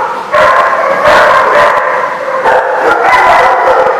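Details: Dogs at The Barking Lot on 10/3/16 keep up a steady, overlapping barking, the sound swelling after a quieter first third of a second, with brief yelps standing out near 1 and 2.5 seconds.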